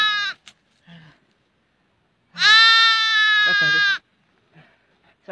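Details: Trapped young goat caught in a ground crack during a hunting trip, being saved: a bleat tail at the start, then a loud sustained bleat lasting about a second and a half, with brief voices and knocks between.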